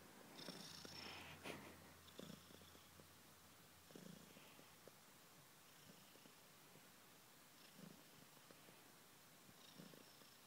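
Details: Purring kitten Kisa: a low, steady, fluttering rumble with gentle breath-linked swells, loudest at the start then settling into a quieter, even purr.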